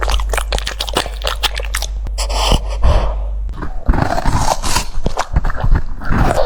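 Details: French Bulldog chewing cucumber: rapid crisp crunches in the first two seconds, then a short pause with a snort-like breath, followed by renewed irregular munching and wet smacks.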